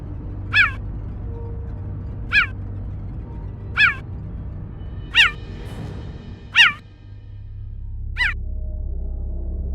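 Cheetah giving six sharp, high, bird-like chirps, each dropping in pitch, spaced about every one and a half seconds over a low hum.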